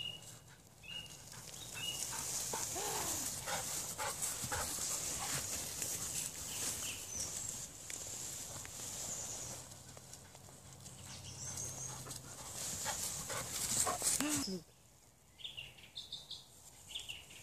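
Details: Dogs at Hundepension Reichshof, a dog boarding kennel, recorded on 15.04.14; a busy stretch of repeated sharp broadband sounds with a few rising whines and a strong high hiss, dropping quiet near the end.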